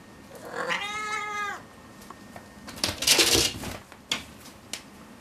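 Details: A five-month-old calico cat, still very playful, is indoors and intrigued by a small insect on the ceiling. It gives a single drawn-out meow of about a second with rich stacked harmonics, then scuffling and rustling noises follow.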